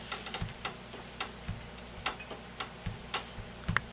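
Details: Irregular ticking and tapping clicks indoors, roughly every third of a second, with no animal voice heard.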